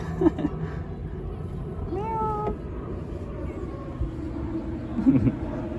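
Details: Aggressive stray cat living in a little house on the street gives one short, flat, tonal meow in the middle, amid low background rumble and a few soft knocks.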